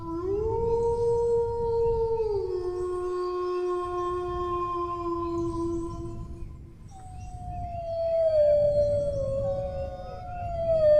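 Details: Howling dog, one drawn-out note that steps down after about two seconds and is held for several more, then a short pause before a higher, gently falling howl returns near the end, over a low rumbling background.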